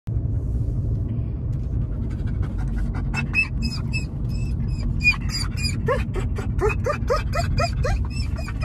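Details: German Shepherd, excited about a car ride to grandma's house, gives high whines and yelps. They start after a few seconds and repeat faster toward the end, over a steady low engine rumble.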